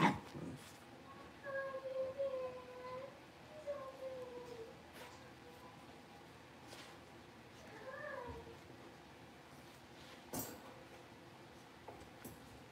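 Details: Five blenheim Cavalier King Charles Spaniel puppies, born on New Year's, in an indoor puppy pen after moving to a bigger pen; thin, high whimpering whines, several drawn out and falling, with soft clicks and rustling.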